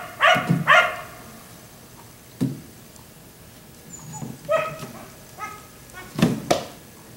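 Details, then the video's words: A black Labrador outside late at night, until 1am, lets out two quick barks, then follows with scattered, softer, irregular barks and yelps mixed with low thumps. "Dog barking until 1am"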